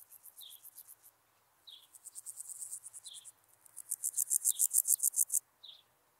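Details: Meadow grasshopper (Pseudochorthippus parallelus) recorded in Elsbethen, Austria, 27 July 2019, giving rapid high pulsed buzzing phrases that grow louder over one to two seconds, with short high chirps interspersed between them.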